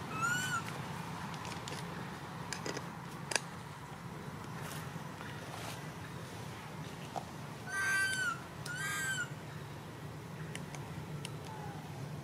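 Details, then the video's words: Poor little baby monkey wailing when its mother does not care; one short cry at the start, then two shrill arched wails close together late on, separated by scattered clicks and knocks over a constant low hum. "The most pity poor little monkey crying non stop when mom not care"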